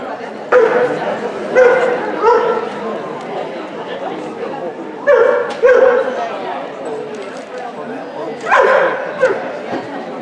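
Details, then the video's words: Ibizan Hound at a Swedish dog show, March 2016, giving loud sharp barks in short bursts of two or three, spaced a few seconds apart, over a murmur of indoor crowd chatter. "Ibizan Hound"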